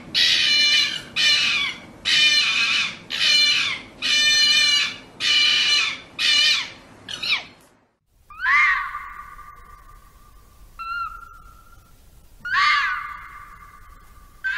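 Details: Red fox making a run of rough, rasping bursts about once a second, then after a break several clearer whining calls that drop and flatten in pitch.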